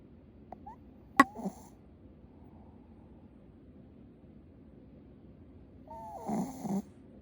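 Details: A sleeping Shih Tzu snores loudly as it is slowly approached. Mostly soft, low breathing noise, with a short snort burst near the start and a longer wheezy snore with a falling whistled tone near the end.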